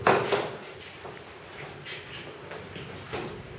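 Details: Indoor clattering and scraping, like a drawer or door sliding, with faint background murmur and no animal voice.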